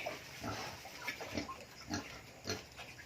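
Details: Native pig on a farm raised on organic feed including Madre de Agua; faint, short, low grunts repeated roughly every half second, with steady background hiss.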